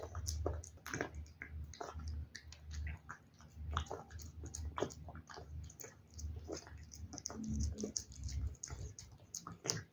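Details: Cat eating wet food in a small room, a steady stream of moist chewing, licking and soft smacks with deep low thumps underneath, bites packed closely together.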